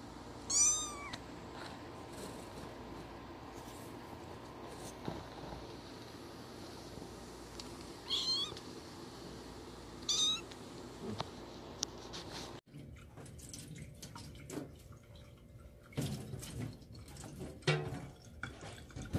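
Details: Two one-year-old brother cats, Liam and Shadow, indoors at their first birthday celebration; three short rising meows near the start and middle, several seconds apart, then quiet rustling and clicks.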